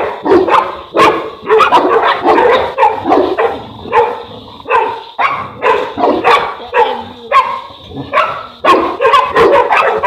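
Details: Sustained barking from Boerboel dogs, South African Mastiffs named Enzo and Diva living in Egypt; deep, gruff barks repeat steadily for ten seconds in short clusters, loud and close, with brief gaps between volleys.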